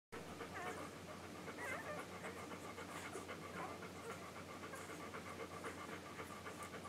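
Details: English Golden Retriever puppies just under one week old, nursing, recorded July 15, 2012. Rapid, steady stream of soft wet smacking and sucking pulses, about four per second, with faint squeaks over a low electrical hum.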